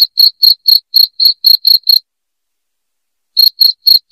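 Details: Piercing cricket chirps, used to scare rats away indoors, run at about four per second for two seconds, stop for well over a second, then resume at the same brisk pace. The background is silent.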